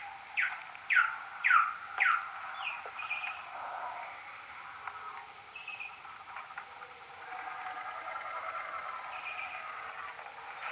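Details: Common noctule social calls near a maternity roost, 2022, recorded with an EchoMeter Touch 2 pro and slowed tenfold: four loud, sharp, downward-sweeping chirps within the first two seconds, then fainter scattered chirps and squeaks over a steady hiss.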